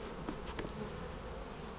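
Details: Honey bees droning in hive boxes split a week earlier, inspected on March 10, 2019 after on-and-off rain; an even, low, thick hum with a few soft taps near the start.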